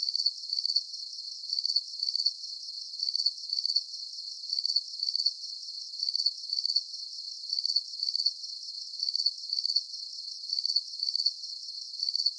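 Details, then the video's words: Night chorus of crickets for relaxation: steady high-pitched trilled chirps, short pulsed bursts repeating regularly a little under every second, constant level, no other animals, voices or background noise. "Calming Cricket Sounds"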